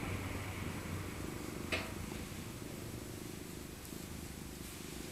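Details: Maca, an elderly female tabby cat born in 2000 and rescued as an abandoned kitten, purring while cuddled in her soft winter coat; a steady low rumble with a brief click near the middle.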